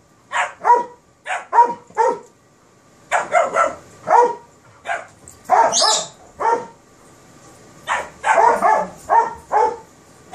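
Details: Kerry Blue Terrier puppy and Airedale Terrier at play: short harmonic barks and yips come in quick bursts of two or three, with brief pauses between clusters and a few higher squeaky notes mixed in.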